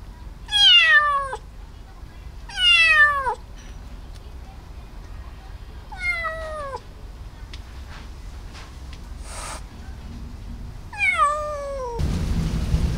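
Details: Stray feral kitten rescued in Japan and awaiting foster parents gives shrill descending mews, two close together, then one after a pause and a last one later; a brief rustle midway and a burst of noise at the end.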